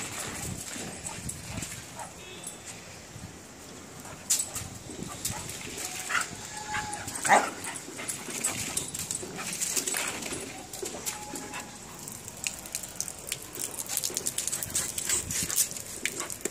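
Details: A playing Rottweiler puppy gives brief, thin whines among scuffling and clicking noises, with a person speaking nearby.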